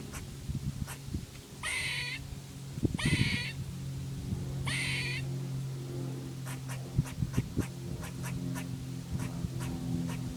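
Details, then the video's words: A little squirrel at Devil's Den Park, Arkansas, on August 3, 2011, making weird noises at a person: three short, harsh, harmonic squeals about a second apart, followed by steady faint ticking, over a low background hum. "Weird Squirrel Noises!"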